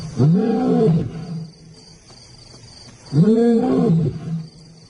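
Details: Two powerful African lion roars, deep and arched, rising then falling, separated by about two seconds of quiet with a faint steady hum behind.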